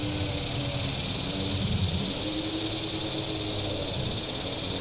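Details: Cicadas on the shore of Table Rock Lake in southern Missouri on a warm Saturday: a steady, dense high-pitched buzzing drone with a fast, even pulse, over a low rumble of boat engines on the water.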